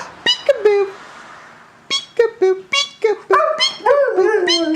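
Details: Almost 14-year-old male Siberian Husky indoors reacting to a peek-a-boo game: bursts of short, harmonic yips and whiny vocal notes that slide downward, growing into a longer wavering, talking howl near the end.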